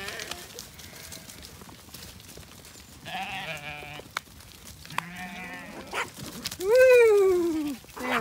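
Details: Zwartbles lambs on a regenerative farm in County Kilkenny, Ireland, bleating while being herded to another field, with aunty ewes nearby as guides. Wavering harmonic bleats, then one loud, long, falling bleat near the end; a man calls and urges them on.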